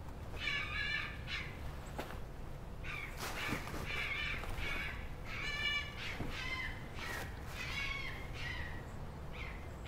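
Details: A male red fox calling loudly while two other red foxes mate, complaining about not being chosen: a dense run of rasping, harmonic yelps and screams, irregularly spaced and overlapping, over steady low outdoor noise.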